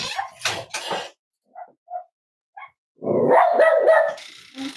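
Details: Cavalier King Charles Spaniel puppies from Myra and Remy's litter of fourteen, kept indoors in new pens on a cloudy, windy Monday morning; a burst of noise, then short high yips, then a sustained tonal yelping bark.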